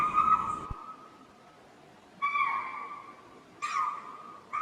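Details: Spotted deer (chital) in Tadoba Andhari Tiger Reserve giving frequent alarm calls that warn their group and nearby ungulates of danger, before a tiger passed through the bushes; shrill, clear barked notes, three loud ones spaced one to two seconds apart, the last cut off.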